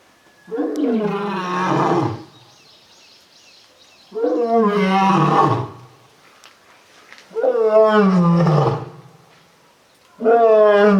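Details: Lion at Tokushima Zoo, Japan, roaring loudly with a deep voice that resonates through the body yet sounds somewhat cat-like. Four drawn-out, falling, moaning roars of about one and a half seconds each come roughly every three seconds.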